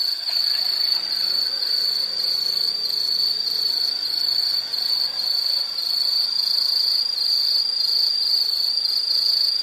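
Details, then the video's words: Insects keep up a constant, piercing high trill that barely changes in loudness, with faint lower hum in the background. "Nature Sound of nature sounds scenery L · insect"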